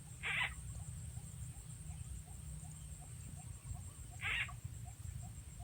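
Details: Frog calls in rural Rizal, Philippines, during frog catching that uses a played frog sound as a lure: two short, raspy bursts about four seconds apart over a steady low hum and faint insect ticking.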